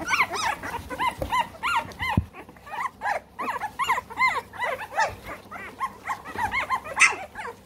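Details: Three-week-old American Bully puppies kept in the United Kingdom whine in chorus: a dense run of short, high, arched squeals and yelps repeated in quick overlapping bursts, louder toward the end, with a few low thumps.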